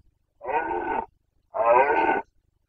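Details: Carpathian red deer stag during the 2021 breeding season in Bucovina, producing two strong guttural roars, each lasting under a second, separated by a short pause in otherwise quiet surroundings.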